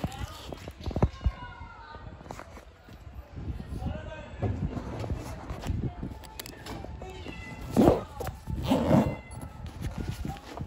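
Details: Hungry stray cats living on the street, coming up to be fed: a few short, loud meows near the end cut through a person calling them over and over in Turkish, with urban background noise throughout.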